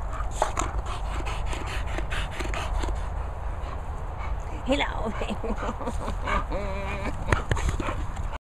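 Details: English Bulldog Moll the Doll and English Bull Terrier Bailey playing together: brief whimpering whines and a held, wavering whine late on, amid panting, rustling and a person's calm voice speaking to the dogs.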